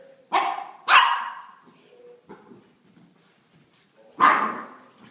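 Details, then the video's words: Playing puppies giving three sharp, high barks in quick bursts, two close together near the start and one more after a quiet gap, with faint soft noises between. "Crazy puppies playing"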